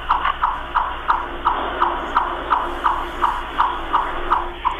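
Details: A chipmunk's chip call, the sound behind its name and often mistaken for a turkey or grouse: sharp, mid-pitched chips repeated steadily about three times a second, over a faint background hiss.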